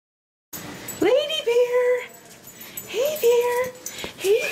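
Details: Lady Bear, a female dog, whines excitedly as she welcomes her owner home: three high, bending whimpers that swoop up then level off, spaced about a second apart, with the owner's soft greetings between them.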